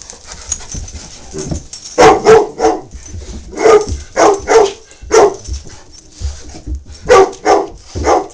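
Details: Lloyd, a 21-month-old Great Dane puppy up for adoption, meeting Tigger: a lively run of deep barks, some in quick pairs, about a dozen in eight seconds with short pauses between.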